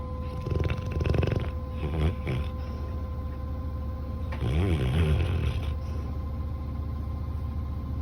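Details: Coco, a sleeping Labrador Retriever that seems to be having a bad dream, gives two low rumbling snore bursts with a throaty, moaning quality near the start and middle, separated by quieter breathing over a steady electrical hum.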